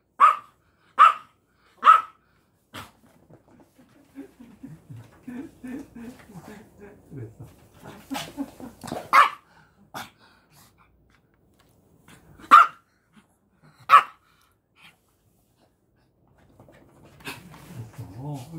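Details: A pet puppy greeting dad while busily blocking mom barks three times in quick, sharp succession, then murmured talk and shuffling, with single loud barks returning around the middle and again a bit later.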